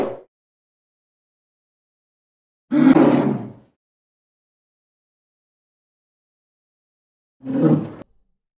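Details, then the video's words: Polar bear roaring, the Arctic marine mammal and hypercarnivorous bear: two loud, harsh, low roars of about a second each, several seconds apart, with a cut-off burst at the start and silence between. "POLAR BEAR VOICE | ROARING"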